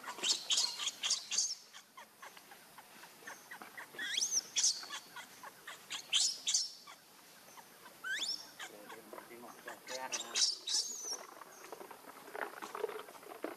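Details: Hungry baby monkey named Leo begging its mother for milk, giving repeated high, piercing cries and upward-sweeping wails in irregular bursts over about thirteen seconds, with brief clicks and soft rustling between calls.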